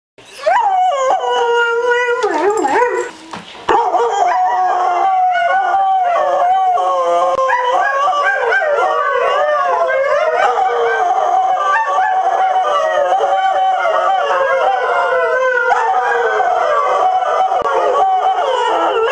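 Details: Greyhound howling: several overlapping wavering, harmonic-rich howls at once, sustained almost without a break, with a brief dip in sound early on and scattered clicks.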